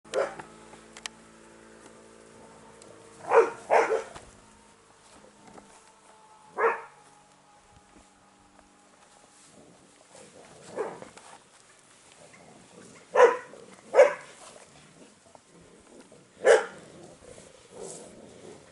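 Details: Airedale Terrier puppies of a litter on day 47, sharp short barks and yips at irregular intervals, some in quick pairs, with quiet gaps between and a faint steady hum in the background.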